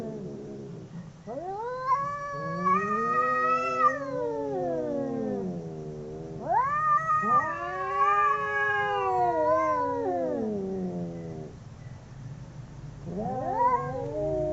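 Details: Two domestic cats howling while fighting: long, overlapping wavering yowls rising and falling in pitch, in drawn-out phrases of several seconds separated by short pauses.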